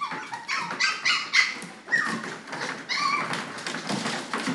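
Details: Toy Poodle puppies, red and chocolate, indoors, giving high squeaky whimpers and yips in quick bursts, roughly two per second, with several voices overlapping in a small room.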